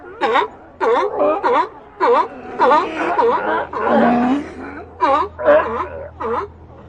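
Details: Sea lions in a colony give a series of short, harsh, harmonic barks in quick bursts, roughly one or two per second, with a longer moaning call in the middle and a low steady hum behind.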